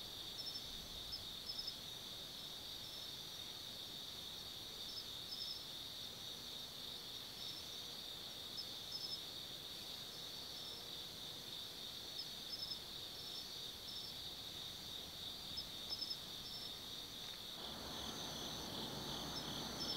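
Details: Autumn insect chorus after dark at the Tsukimi no Mori lookout, Gifu Prefecture, Japan: constant high shrill trilling with regularly repeated short chirps above it, and a broad rush of noise entering near the end.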